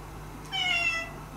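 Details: Indoors, a former stray cat approaching the resident cats to make friends gives a single short meow, rising then gently falling, about half a second long, over a steady low hum.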